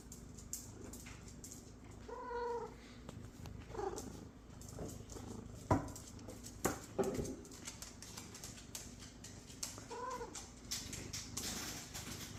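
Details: Happy pet cat making noises: clear, tonal meows, one near the start and another later, with scattered clicks and soft thumps between them in a quiet room.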